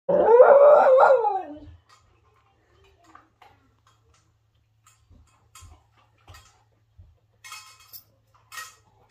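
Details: A whippet that does not want to share lets out one harmonic, wavering howl of under two seconds, then goes quiet apart from a few faint clicks and soft taps.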